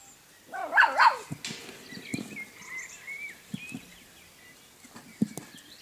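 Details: A dog gives one loud, strained yelping bark near the start, then stays quiet. Faint bird chirps and scattered clicks and footsteps continue in the background.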